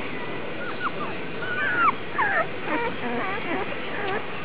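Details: A litter of Vizsla puppies, the Alphabet Soup litter on August 1, whines and squeals in quick overlapping bursts, with wavering, bending high cries over constant low background hiss.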